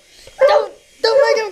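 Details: Domestic dog barking at a helicopter: two short, tonal, harmonic barks about half a second apart, the second longer. People talk just before and after.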